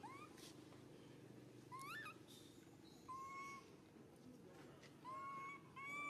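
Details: Baby monkey Suca cries out loudly in pain while Susan grabs him; flat, high, reedy cries of about half a second sound again and again, one rising and bending upward, against a low background hum.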